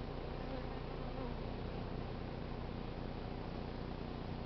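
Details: A South Pasadena honey bee swarm is hived after gathering in a crape myrtle tree. With the queen in, bees file into the entrance and some fan their wings. Unbroken, rich low buzzing fills the whole stretch at a constant loudness.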